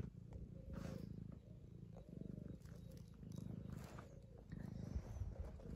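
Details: A 2-year-old male tabby cat purrs steadily while being fussed, a low rumbling vibration that swells and eases with each breath.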